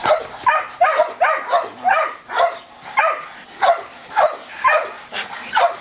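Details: A Belgian Malinois with high ball drive barks loudly and sharply about twice a second, some barks paired, with short breathy gaps between them.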